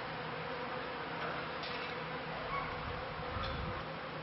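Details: Steady droning of kept honey bees, end of the 1995 season into 1996, flying high and gathering pollen for the first time; an even, dense buzzing with a low hum band and no other clear sounds.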